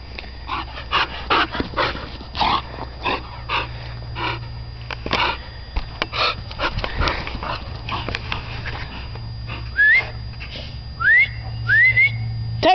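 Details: Dogs playing in the dog yard: a run of short, rough bursts spaced about half a second apart, then several brief rising whine-like yelps near the end, over a steady low hum.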